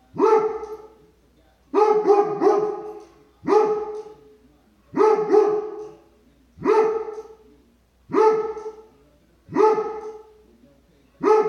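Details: Barking Dobermann reacting to squirrels, each bark forceful and harmonic-rich, some coming as rapid pairs or triplets, repeated about every one and a half seconds with quiet pauses.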